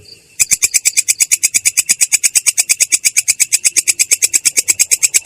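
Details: Katydid (belalang kecek) in its rolling ngerol style, described as clear yet harsh: after a brief quiet start, a steady train of crisp, high, raspy pulses runs about eight per second without pause.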